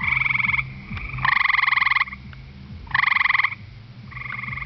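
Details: A gray treefrog on the ground at the edge of a pond on a warm, humid night gives loud, musical trills lasting under a second, repeated after short pauses.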